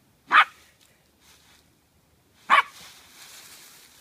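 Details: Scottish Terrier puppy at play in fallen leaves: two sharp single barks about two seconds apart, the second followed by faint rustling.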